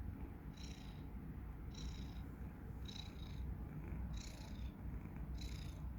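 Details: Tomas the cat snoring while asleep: rhythmic breaths about every 1.2 seconds, each a short whistly hiss, over a constant low rumble.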